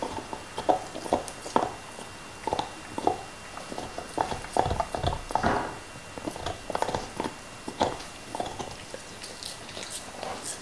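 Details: Black Lab Nixon works on a beef bone, his favourite. Dense runs of crisp cracking bites alternate with wet smacking and licking, with louder crunches clustered near the middle. No human voices.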